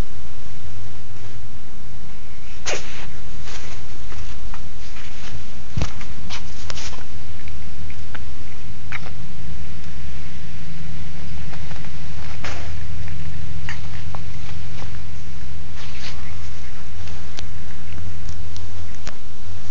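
A Maine Coon cat gives a series of short, explosive sneezes and snuffly breaths, spaced irregularly a few seconds apart. A steady low rumble runs underneath throughout.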